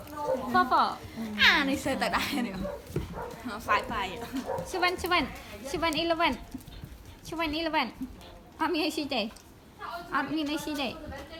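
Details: Pet dogs, a Belgian Malinois, German Shepherd and Border Collie, playing together outdoors near a water pool after watching a rabbit; short harmonic barks and whiny yelps come in bursts roughly every second, mixed with people talking in Khmer.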